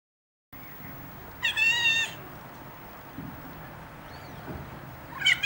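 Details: Three-week-old Ocicat kittens: a loud, bright harmonic meow lasting about half a second, a faint thin mew later, then another sharp meow at the end over a quiet, steady indoor background.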